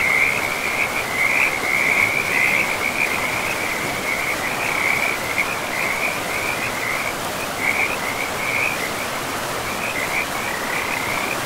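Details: Along a river in a forest, frogs keep up a near-continuous band of quick chirps and trills, loudest early on, with rushing water filling the background throughout.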